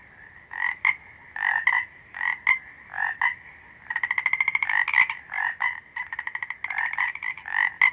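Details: Frogs croaking loudly at close range, short bursts of pulsed, rattling croaks overlapping from several callers, with a faster, evenly pulsed train in the middle and quieter calls in between.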